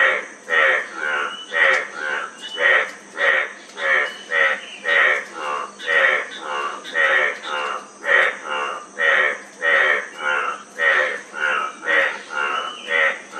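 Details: Run of about twenty-five rough, buzzy frog croaks over thirteen seconds. Some notes come in close pairs or overlap, as if two callers alternate. A thin steady hiss sits in the background.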